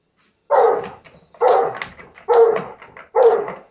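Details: A Rottweiler and an English Bulldog bark excitedly in a yard while watching an RC truck, four loud, gruff bursts roughly one a second.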